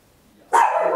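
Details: A tiny Papillon barks loudly at home, recorded in stereo on a handheld recorder: after half a second of quiet, a single abrupt, harsh, loud bark starts and runs to the end.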